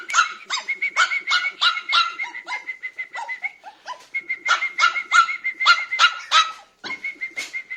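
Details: A Biewer terrier puppy gives quick, high-pitched yaps, several per second, mixed with squeaky whine-like notes, with a brief pause near the end.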